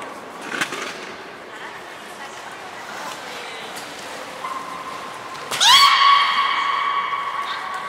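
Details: Port of Nagoya Public Aquarium, 1 December 2019, captive belugas Hodoi, Gray and Mirai in training: after several seconds of background murmur and clatter, one loud call rises sharply and settles into a steady, strongly harmonic tone.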